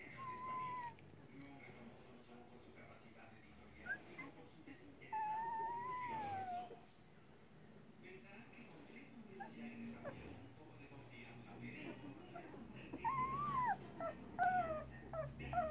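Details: Two-week-old Rottweiler puppies give high, thin whines that wobble up and down in pitch.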